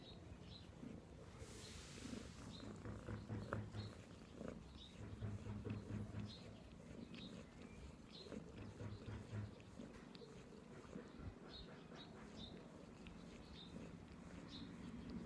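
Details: Purring cat, low pulsed rumble rising and falling in loudness, with scattered faint clicks and a short hiss of noise early on.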